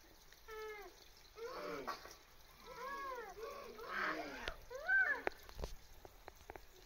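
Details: Japanese macaques on the monkey mountain at Tama Zoo in Japan give tonal, arching coo calls, several overlapping, each rising and falling like a drawn-out meow.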